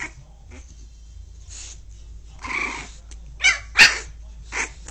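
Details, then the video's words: Angry pit bull puppy scolding its owner with rough, noisy growl-barks, then a quick cluster of three sharp high yaps, over a low hum. "Pitbull puppy anrgy whit daddy"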